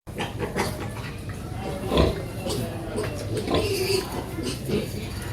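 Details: A noisy pig family of a mother pig and her piglets, heard as a steady bed of low, rough grunts with a few louder snorts near the two-second mark and short squeaky notes later.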